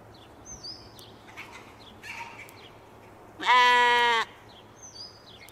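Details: Katahdin sheep on a Michigan homestead, playing and running about in the evening: one loud, wavering bleat lasting under a second mid-clip, with small chirping birds before and after and a faint steady hum behind.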